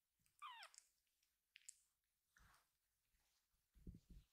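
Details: Young rescued kitten calling its separated siblings to gather: one brief, high, downward-sliding meow, then faint squeaks and low thuds of shuffling kittens in a quiet room.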